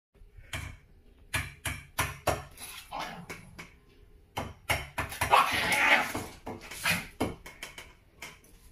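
A small Maltese dog barks angrily in sharp, rapid bursts with a harsh, rasping edge.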